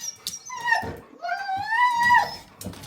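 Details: Jindo dog indoors whining insistently to be taken along as its owner prepares to go out; drawn-out, wavering tonal whines sliding around a mid pitch, two long cries with short breaks, the owner's voice softly between them.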